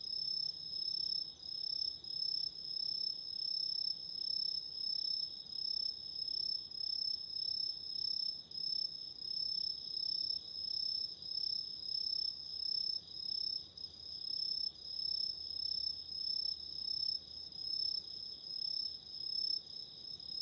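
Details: Autumn insects calling at night, set beside a candle flame for relaxation and sleep: a dense, steady high-pitched chorus of overlapping trills with a pulsing throb, several callers layered at different pitches, no other clear sounds.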